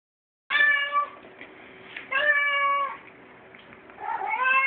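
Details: Pet cat talking, giving three drawn-out harmonic meows at roughly one-and-a-half-second gaps, the last one sliding upward in pitch; quiet indoor background between calls.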